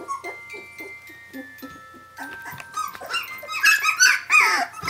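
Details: Seventeen-day-old puppies calling for their mother: soft short whimpers at first under a faint steady tone, then a louder burst of overlapping squeaky, wavering whines and yelps in the last half.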